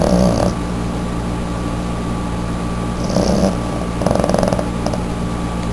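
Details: A sleeping female Boston terrier lying in a reclining pose with eyes open, snoring heavily indoors; rough low snore bursts near the start, around three seconds and again after four seconds, with a steady background hum between breaths.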